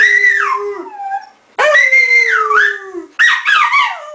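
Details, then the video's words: Three sustained, sing-song howls from Bóris the dog, each bending high then falling lower, the middle one the longest and steadiest. "Desabafo de um Cão"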